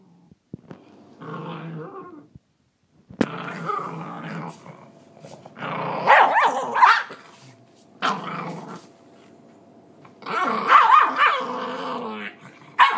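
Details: Angry little female Pinscher guarding her food and refusing to share, growling and snarling in bursts, with rough bark-like outbursts about every two seconds separated by short pauses.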